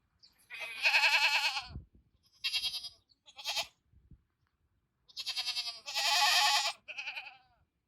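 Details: Several goats bleat at a keeper's car, five or six tremulous, buzzy bleats, some long and drawn out, others short, with brief quiet gaps between them.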